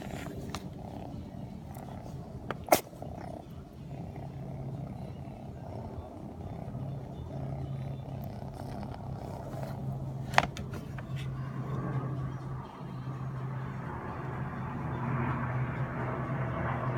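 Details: A sleepy four-month-old blue British Shorthair kitten purrs with a low, steady rumble, broken by two sharp sneezes.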